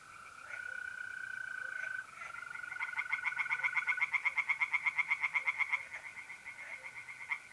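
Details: Tree frogs singing in a pond on a mid-April night in North-East Italy: rapid rattling pulse trains, several per second, building and fading, over a steady high continuous trill of mole crickets.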